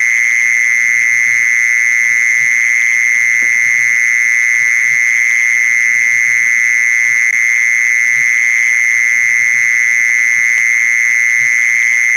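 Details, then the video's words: Continuous mole cricket call used to lure mole crickets: an even, high, whirring trill that never pauses or shifts pitch over twelve seconds, with light low-pitched ticks in the background. "เสียงล่อแมงกระชอน แมงจีซอน"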